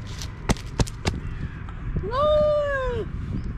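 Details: Stray cat in a park fight: three sharp thumps or taps, then a single drawn-out moaning yowl lasting about a second, rising then falling away, with a person shouting to shoo it off.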